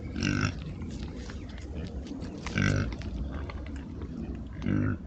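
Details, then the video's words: Oxford Sandy and Black pigs, a British rare breed known as the Plum Pudding Pig, foraging in woods on a trail camera. Three loud, rounded grunts come about two seconds apart over steady rustling. "What’s Making That Noise? 🐖 Rare Breed Pigs on Trail Cam"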